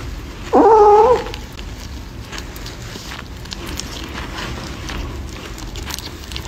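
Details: Kitten eating corn gives a single short, clear meow lasting about half a second with a steady, slightly wavering tone, followed by quiet background noise.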